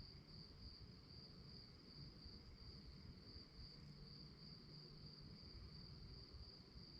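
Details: Night crickets form a continuous high-pitched pulsing drone that stays even throughout, with a soft low rumble underneath.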